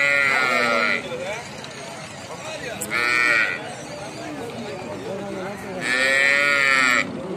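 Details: Calf, a baby cow, calling in loud, high, strongly harmonic bursts at about 0, 3 and 6 seconds, separated by quieter stretches of lower, arching murmurs and background noise.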